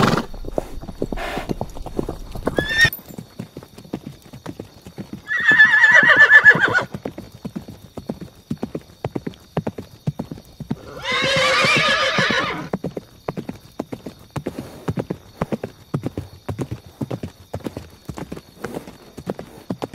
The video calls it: Sound of Horses - Galloping Horses - Neighing Horse